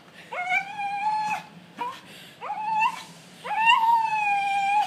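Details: Welsh Terrier giving three sustained howls, each starting with a quick upward slide into a steady, slightly wavering wail about a second long, with a brief yelp between the first two.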